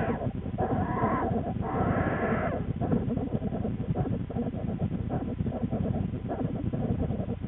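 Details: Twin American black bear cubs with their mother Lily in the den, February 13, 2013, a cub screaming and complaining loudly; two harsh drawn-out squalls in quick succession, then fainter cries, over constant low den rumble.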